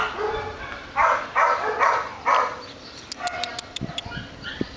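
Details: Four loud, sharp dog barks about half a second apart, followed by a string of quick clicking taps and softer background sounds.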